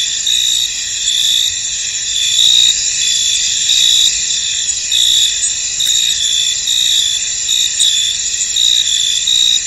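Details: Crickets chirping in a misty, foggy field: a dense, steady high-pitched trilling chorus with brighter pulsed chirps rising and falling over it at uneven intervals, and no other clear sounds.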